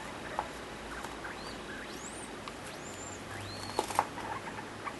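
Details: Degu in heat courting a sock indoors, giving faint, thin chirps that sweep upward and arch over, several spaced across five seconds, amid soft tapping and steady background hiss.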